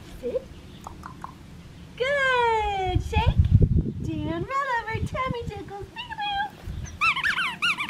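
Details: Red tri Australian Shepherd girl puppy, held and praised after doing tricks, gives loud, wavering whines and squeaky yelps, stacked bright tones falling in pitch, mixed with a woman's affectionate talk.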